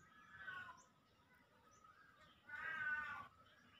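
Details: Pet Siamese cat giving two drawn-out harmonic meows, the first short and moderate, the second louder and longer at about three-quarters of a second, separated by a quiet two-second gap with faint low background hum.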